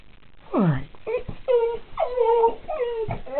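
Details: Pit bull Roscoe vocalizing about a dog he saw outside: short, bent whines and yips in quick succession, each sliding up or down in pitch. Together they sound like chattering speech.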